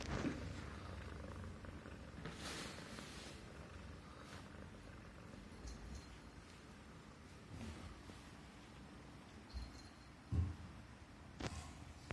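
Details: Himalayan Persian cat purring contentedly as its neck is stroked; a continuous soft, low vibrating rumble through the whole stretch, broken by a few brief clicks and rustles of handling.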